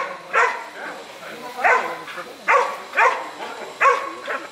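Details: Airedale Terrier in IGP 3 protection work gives loud, rough barks in uneven bursts, six in under five seconds, with short pauses and faint background noise.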